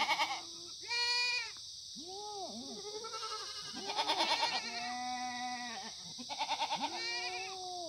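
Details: Korean black goats grazing free-range on a Gimhae mountainside farm, Sangdong-myeon, South Gyeongsang, sunny Monday morning in September 2019. A loud quavering bleat is followed by a run of shorter arched and level bleats from several animals, with a constant high-pitched hiss behind.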